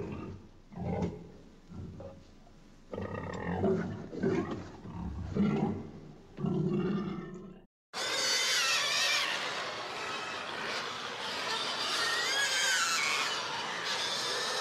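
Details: Pig making scattered deep grunts and snorts, then after a brief gap bursting into a continuous, loud, shrill squeal lasting several seconds.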